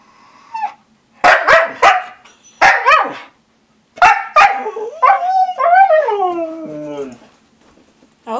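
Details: Siberian Husky at home being offered treats, letting out a run of short sharp yips and barks followed by a long wavering, descending howl-like 'talking' call, with a person speaking nearby.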